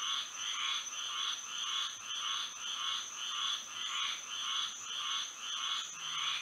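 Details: Moonlit Florida night with frogs singing: evenly spaced swells of buzzy croaking, close to two each second, in two strong pitch bands, backed by an unbroken shrill hum.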